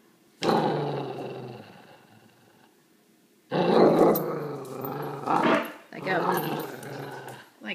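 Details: Italian Greyhound growling during play: a low growl fades out, then after a pause rougher, louder growling returns in several surges. A person's voice mixes in, repeatedly saying "let go".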